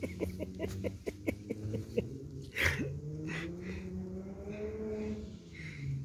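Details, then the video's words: Beagle puppies at play give a run of short, thin whines and yips, several rising and falling in pitch and some drawn out, with scuffling and rustling noise between them. "Beagle Puppies Playing With A Lot Of Fun"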